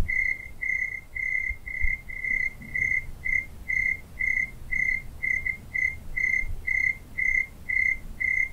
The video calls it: Crickets in the Night Sound Effect